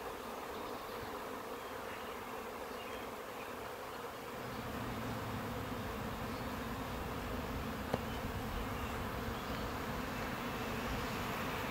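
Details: Honey bee swarm settling into a new hive box, queen already inside, morning of June 10, 2017. Even, unbroken buzzing drone that swells slightly midway, with one sharp tap.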